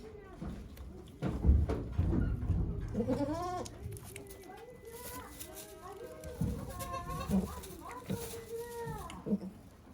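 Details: Okayu, a farm goat at Yoshigake, delivering twins on 3 May 2023 with volunteers present; several wavering, rising-then-falling bleats through the middle and end, low rumble and murmured voices underneath.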